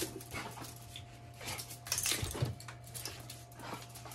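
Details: Jun, a male mame shiba (small Shiba Inu) born April 2020 in Saga Prefecture, Japan, panting: breathy broadband puffs repeat about every half second, with a brief faint squeak near the middle and a steady low hum underneath.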